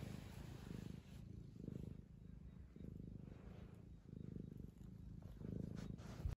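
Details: Steady low purr of a young male tabby, two years old, while being fussed by his owner, pulsing in roughly one-second waves over a hissy background with a constant faint high tone.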